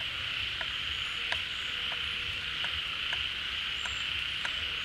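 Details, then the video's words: Frogs gathered at a pond in the rainy season, drawn out of hiding by the returning water, call together in a continuous shrill wash of sound broken by sharp clicks roughly every half second. "เสียงฝูงกบร้อง Relaxing Sounds of Frogs, カエルの音, 青蛙的聲音"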